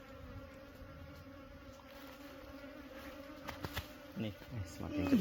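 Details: Honey harvest under way as bees drone in a continuous, even hum with a clear low tone and a fainter one above it; a few knocks and brief voices break in toward the close.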